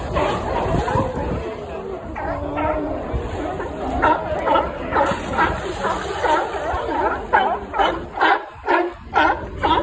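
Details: California sea lions at Pier 39, San Francisco, bark in hoarse, repeated bursts while squabbling, with people talking nearby.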